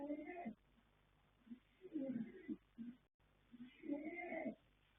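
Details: Sleeping colt foal Yanta (sire Fast Force, dam Pink Blossom, born 21 January 2026) giving raspy, throaty snores, a long rasp then a softer one, with brief quiet gaps between breaths.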